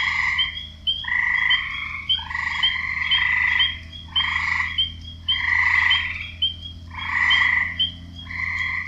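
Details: Frogs chorusing in a wetland with nasal, buzzy croaks in overlapping bursts about a second long.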